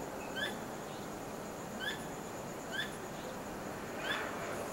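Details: Squirrel calling at night, tail wagging constantly, unusual nighttime vocalizing, not caught in a trap; sharp, short upswept chirps with ringing overtones, about one per second, over a steady hiss of background noise.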